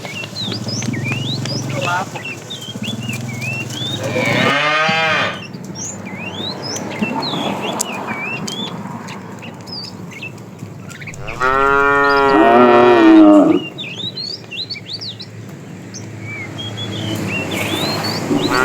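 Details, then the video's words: A fat cow in a herd of tame cattle, driven along in the afternoon, calls to the female: two long, loud, harmonic moos several seconds apart, with chirping birds throughout and a quieter stretch between the calls. "The funny sound of a fat cow calling the female"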